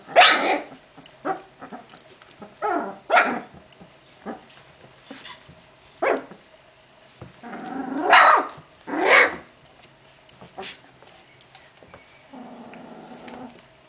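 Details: Puppies from Genny's litter, 14 June 2013, giving a run of sharp high barks and yelps with short growls, loudest around the middle, ending in a steady low whine.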